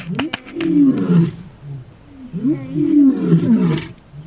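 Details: Big male lions roaring during a territorial dispute and male takeover one morning in the far south of Kruger National Park, South Africa; long, deep moaning roars rise and fall, two bouts separated by a short pause, with faint background noise.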